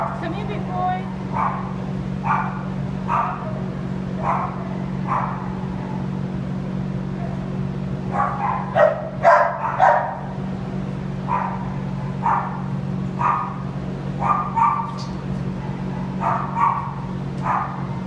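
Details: Shar Pei at the Baldwin Bark Shelter, described as scared, giving short barks in irregular bursts roughly every second, mixed with the voice of a woman coaxing him and a steady low hum in the background.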